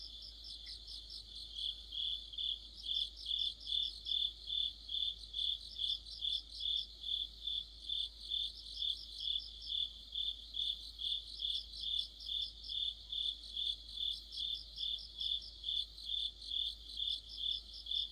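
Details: Streetlight-side autumn chorus of crickets and other insects: a continuous run of sharp chirps, about two per second, steady throughout. Brief bursts of higher rapid pulses from a second singer come and go every few seconds.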